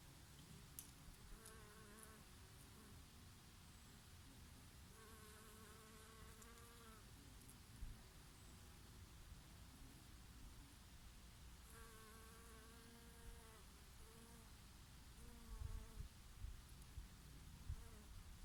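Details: Summer honey bees grazing on oregano blossoms in a gentle breeze: three clear droning buzzes as individual bees fly past, each lasting about two seconds and wavering slightly in pitch, over a constant low hum of more bees and wind.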